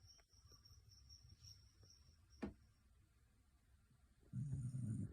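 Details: Shetland Sheepdog snoring: quiet breathing at first, then a loud, buzzy, low snore near the end, with a faint steady high tone in the background.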